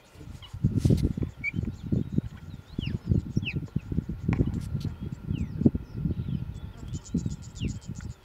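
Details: Cheetahs in Olare Motorogi Conservancy, Kenya, a wild mother with three cubs and a young male intruder joining the group: steady low, pulsing, rumbling sounds throughout, while small birds chirp faintly in the background.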